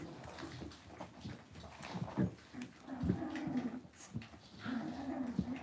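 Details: Several soft, nasal whines and whimpers from Cavalier King Charles Spaniel puppies in an indoor home pen, repeating throughout with shuffling, bumps and low room noise underneath.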